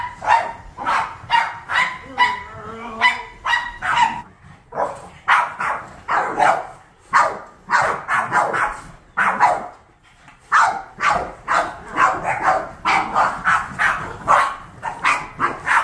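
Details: A pack of seven Boston Terriers react to vacuuming indoors with a long run of rapid, overlapping barks. A brief higher whine-like tone sounds near the start, then the barking resumes thick and fast.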